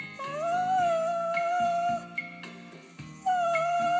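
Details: Dog performing a trick, howling along on cue to a Beatles ballad, And I Love Her, while its owner urges it louder: long steady wavering howls, a short break, then another sustained howl over guitar music.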